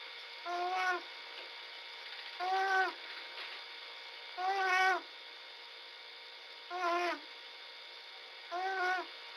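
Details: Little bobcat snoring while asleep, recorded 11 February 2017: nasal tonal snores lasting about half a second, repeated roughly every two seconds, over steady background hum.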